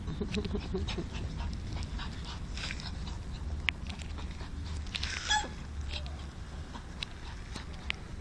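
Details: Pug named Alfa meeting a new dog friend outdoors; one short, bright vocal burst from a dog stands out just past midway, with a few faint scattered sounds over a steady low rumble of background noise.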